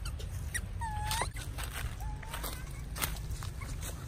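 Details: Young monkey at Angkor, just weaned by its mother Tima, crying and running about upstairs: two brief whistled cries rising in pitch, roughly a second apart, over a low steady rumble.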